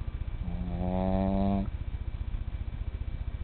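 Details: At bedtime a tiny male pet snores: a single drawn-out, buzzy, whistling breath for just over a second, rising slightly in pitch, then a soft rapid low rumble continues.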